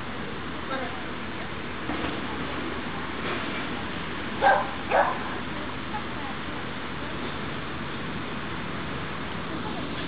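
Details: During obedience practice on 23 June 2012, Pixel the dog lets out two quick barks close together midway through, set against steady background chatter and outdoor noise.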